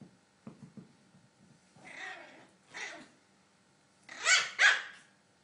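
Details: A Maltese puppy giving a few short, sharp barks, two soft and two louder ones close together near the end, with faint low rumbling between them indoors.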